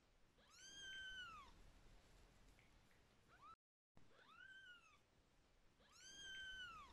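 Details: A contented kitten getting a massage calls out in arching meows, four of them, each rising then sliding down, with quiet pauses between.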